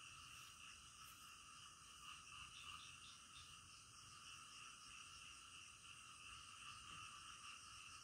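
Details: Night frog chorus, somewhat fainter, made of many overlapping rapid croaking pulses that form steady high bands, with a few sharper clicks and a possible faint insect trill mixed in.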